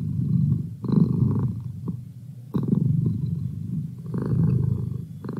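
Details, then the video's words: Domestic cat purring, used as a study companion: low rumbling purr in pulsed bursts of about a second, pausing between breaths, with faint higher overtones. "Cat Purr"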